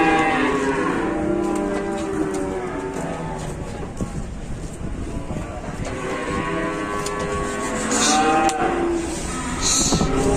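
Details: Cattle arriving at a market for slaughter bellow in long, drawn-out harmonic moos, one early in the recording and another group midway, with scattered clatter and background noise.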